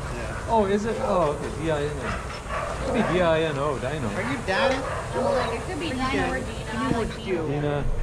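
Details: Adoptable shelter dogs playing and running together at a daycare, giving a run of wavering, whiny yips that rise and fall in pitch, overlapping one another, with a steady low rumble of background noise.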